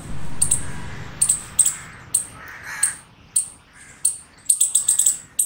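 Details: Chipmunk chirping: thin, piercing high chips, single or in quick doublets, spaced irregularly about twice a second, over a low rumbling background noise.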